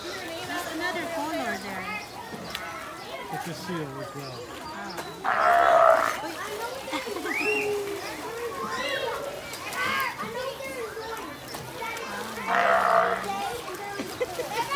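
A California sea lion gives two loud, hoarse, bleating barks about seven seconds apart over crowd chatter.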